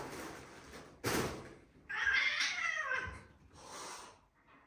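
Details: British Shorthair cats indoors, an adult grey male and a blond male kitten, the kitten attacking the adult; a sharp breathy burst, then a drawn-out, wavering, whining yowl, followed by a softer hiss.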